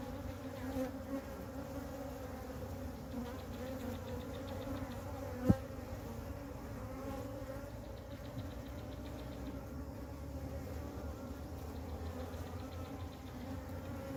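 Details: Ground-dwelling honey bee swarm that joined a flightless queen, being caught and hived; a continuous low, rich buzzing hum of many bees, steady in loudness, with a single brief click midway.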